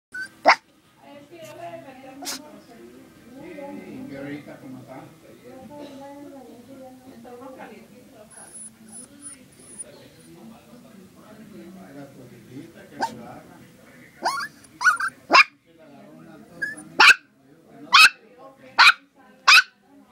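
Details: Yorkshire Terrier puppy sneezing: sharp, explosive bursts, one near the start and then a quick run of about seven in the last seven seconds, spaced roughly a second apart, after a stretch of human talking.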